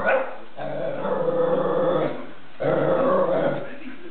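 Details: A pet whippet, one of two in a household, taunting the other dog with a drawn-out, talking-like vocalization. Two long, moaning, harmonic calls, each lasting about one and a half seconds, are separated by a short pause. No other sounds are clear.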